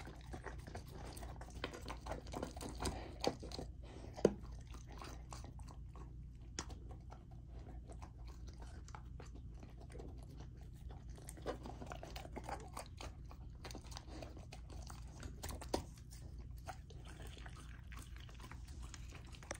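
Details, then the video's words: Raw-fed Golden Retriever puppy Lilo gnaws a dinner of chicken drumstick, thigh and sockeye salmon indoors; long stretch of continuous moist chewing, slurping and occasional crunching bites, with a few louder cracks. "Golden Retriever Puppy Raw Dinner : Chicken Drumstick & Thigh , Sockeye Salmon ASMR EATING"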